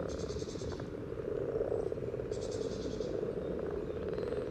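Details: Chorus of common frogs in courtship at a spawning site beside the yellow trail, Sunnersta, Uppsala, captured via parabolic microphone and Olympus LS14: steady overlapping soft grunting croaks, broken by two high buzzy rasping bursts.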